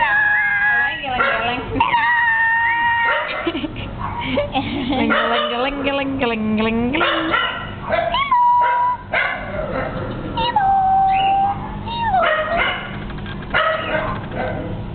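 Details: A dog making high, sliding whines and short yips, some notes drawn out and wavering like a howl, over a steady low hum, with a person talking throughout.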